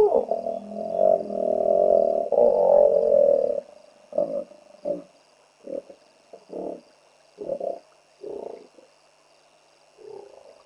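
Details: Territorial hippopotamus on the Olifants River bank in greater Kruger National Park, shouting at a trespassing hippo; a long loud rumbling bellow, then a series of separate throaty honks spaced about a second apart, fading toward the end.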